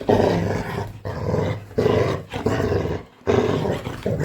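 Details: Coco, a pet Labrador Retriever, growling indoors in play-scaring: deep rumbling growls in bursts of about a second, broken by short pauses, with a woman's voice nearby.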